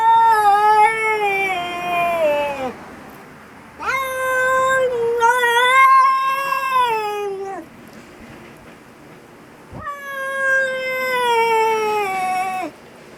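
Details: Very angry cat screaming and yelling: three long, loud, harmonic-rich wails, each sustained two to three seconds, wavering in pitch and sliding downward at the end, separated by short quiet gaps.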